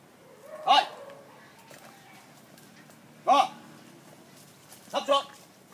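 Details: Phu Quoc Ridgeback dog doing a trick of playing dead when shown a gun; three short, sharp barks come at roughly two-second intervals, the last one doubled, over a quiet background.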